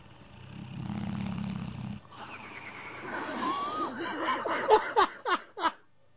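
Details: Sleeping English Bullmastiff named Sabre, old, napping one Sunday afternoon and flapping his jowls: a deep buzzing snore lasting over a second, then louder breathy fluttering snorts ending in a few sharp smacking clicks.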